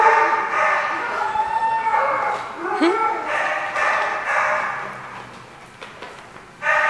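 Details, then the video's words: Dogs barking in a row of hoarse, overlapping barks at irregular intervals, with a short yelp near the middle and a quieter lull before a final bark. "The Barking Lot"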